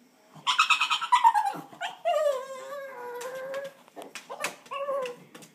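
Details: Pug indoors, determined to get into an old lizard aquarium, giving a run of rapid harsh yelps followed by long high whines that slide downward and waver, ending with a short rising whimper; small-room echo.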